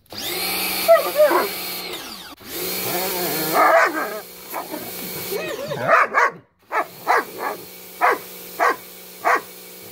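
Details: Bubu, a German Shepherd, tries to bite the spray from a water hose. Harsh harmonic barks and growls come in bursts, then shorter, evenly spaced barks follow about every half second, over a steady whining hose hum.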